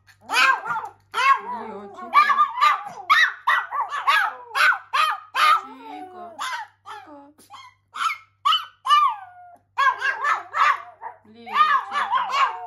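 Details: Two Pomeranians indoors, howling in reaction to hearing a siren: high, wavering, yodel-like howls and yelps overlapping in dense bursts with brief pauses, voices bending up and down throughout.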